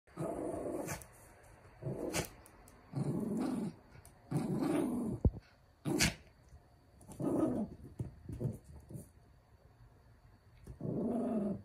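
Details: A pet dog, described as a puppy, growls while tearing apart a set of hair rollers indoors. Low rumbling growls come in one-second bursts with short snarly peaks, mixed with clicks and rustling from the chewed plastic.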